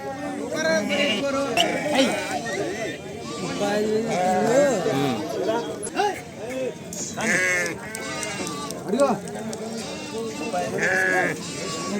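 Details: Sheep and lambs at the busy Pebbair sheep market in Telangana, India, giving wavering, quavering bleats that rise and fall, heard through steady overlapping human chatter and bargaining, with a little music.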